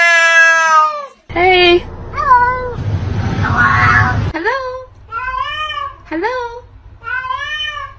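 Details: Pet cat at home 'talking' with a series of drawn-out, wavering meows, some rising then falling, several in a row, as people speak and greet it between the calls.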